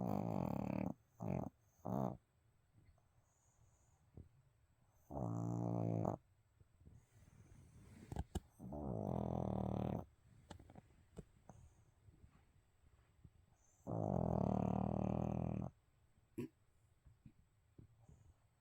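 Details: Pet dog asleep indoors, snoring in low rumbling breaths, with several loud bursts of voices or laughter breaking in; the dog reportedly jumps up when snacks are mentioned.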